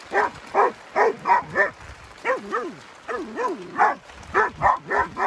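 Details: Rottweiler barking in quick, harsh bursts, some rising and falling into yelping tones, as an adult and a puppy attack a buffalo.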